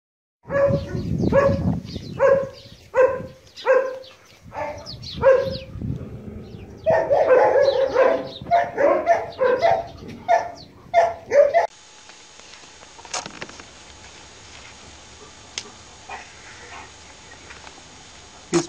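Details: Long-haired German Shepherd barking: deep, rapid barks repeated about once every second, in bursts that speed up into a dense volley, then fade to quiet background with faint clicks.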